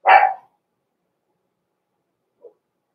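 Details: In a home puppy pen before Christmas, a Blenheim Cavalier King Charles Spaniel pup from a small litter born November 14, 2022, gives a single sharp, harsh bark, followed after two seconds by a tiny faint yip, otherwise silence.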